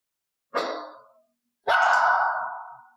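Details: Elaine, a mixed-breed dog of unknown breed, gives loud piercing barks during clicker training as a 'talk talk' hand-gesture cue is introduced: two sharp, bright, harsh barks, the second longer and more drawn out, with a silent room behind.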